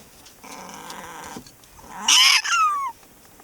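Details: Pet prairie dog Sumomo calls repeatedly while stroked on the neck after the owner comes home: a soft buzzy harmonic whine, then a loud sharp squeal that slides downward, indoors.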